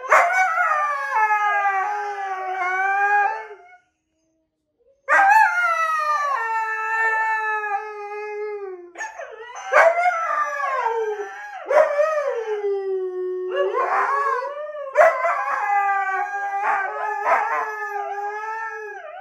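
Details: Husky giving a run of howls and talking yodels, each swooping up and down in pitch, some long and wavering, others short and bending, with a brief silent pause early on.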